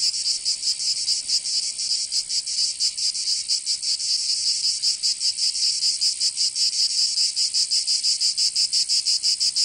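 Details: Cicadas in the southern French region of Provence during summer, their piercing buzz forming a continuous wall of sound, loosely pulsed at first and settling into fast, distinct throbs later.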